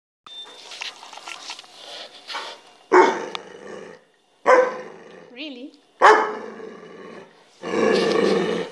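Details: An adopted mixed-breed female rescue dog, very vocal, talks indoors. She makes grumbling, growl-like bursts at about 3, 4.5, 6 and 8 seconds and a wavering, whining howl near 5.5 seconds. A person talks quietly between her bursts.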